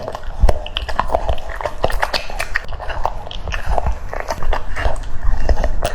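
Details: Crisp, separate crunches of a French Bulldog chewing cucumber, bites spaced irregularly about two or three per second, quieter room background between them.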